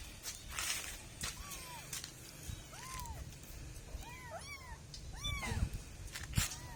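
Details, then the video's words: Two little kittens mewing in short arched cries, several overlapping in quick succession, rising then dropping in pitch, with clicks and rustling handling noise around them. "kitten cats funny moments cats - Suara Binatang"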